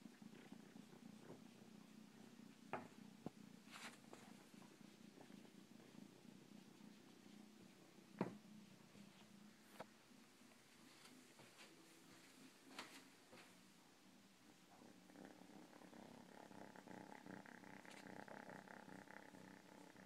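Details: Cat purring in a low, steady rumble, with scattered soft clicks and taps, then a faint humming background tone rising over the last few seconds.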